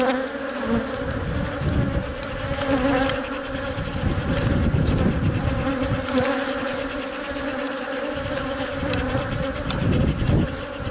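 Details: Workers surround a honey bee queen as she lays eggs, guarding and feeding her; steady droning hum with clear low tones, overlaid by irregular low thumps and rumbling bursts.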